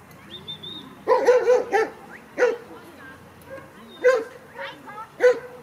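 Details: Sixteen-week-old Kleiner Münsterländer female Franzi playing among mostly grown dogs at a play session: a rapid burst of three or four sharp barks, then single yips spaced about a second apart, with a thin whine early on.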